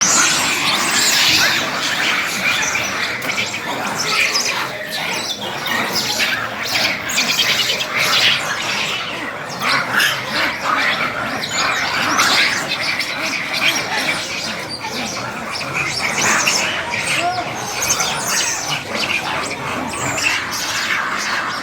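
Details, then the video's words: Monkeys fighting, a chaotic mass of shrill, harsh screeches and squeals from several animals overlapping almost without pause, surging in loudness every few seconds throughout. "बंदरों के बीच लड़ाई/ fights between monkeys & Horrible sound"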